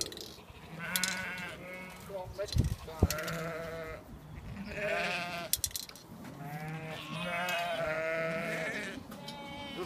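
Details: Sheep and lambs on a farm in May, several wavering harmonic bleats rising and falling across the clip, overlapping, with people talking nearby.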